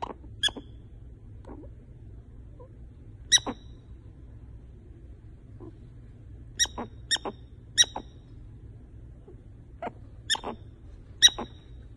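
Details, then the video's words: Pet prairie dog asleep, a female perhaps talking in her sleep, gives short high chirping squeaks at irregular intervals, several in quick pairs, against a quiet indoor background with a soft low hum. "Awesome Loud Snoring Prairie Dog"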